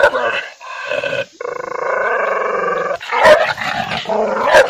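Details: Angry dog growling in long sustained rumbles broken by sharp barks near the start and end, harsh and loud throughout.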